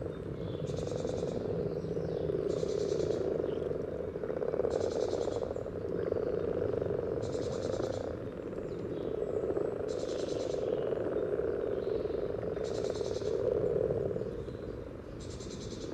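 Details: Common frogs calling at a spawning site by the yellow trail in Sunnersta, Uppsala, Sweden, recorded near the water surface: steady low purring drone throughout, overlaid by bursts of high hissing buzz recurring about every two seconds.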